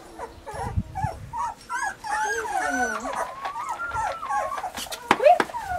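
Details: Weimaraner puppies Bailey, Hailey and Jenny make a chorus of wavering whines, including one long drawn-out whimper that slides downward, with clicks and a sharp squeak near the end.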